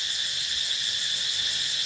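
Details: An evening cicada chorus in Thailand, calling at its usual set time and growing louder, with groups to the left and right competing, gives a dense, shrill, unbroken high buzz of constant loudness, an even hissing wall with no separate pulses.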